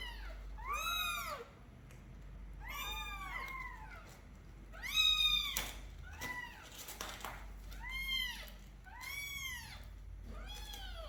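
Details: Young kittens growing up, caged indoors during a weekly deep clean of their room: a rapid run of high, arched meows, about eight overlapping calls in eleven seconds, several kittens calling together.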